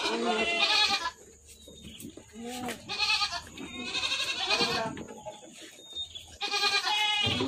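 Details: Farm goats in Indonesia calling: three separate bursts of harsh, trembling bleats, the last one held, with quieter gaps of clatter and faint chatter between them.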